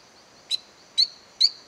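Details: Silverstoneia flotator frog calling in an abandoned cacao plantation at La Gamba, Costa Rica; three short, high chirped notes at irregular spacing over a faint steady hiss.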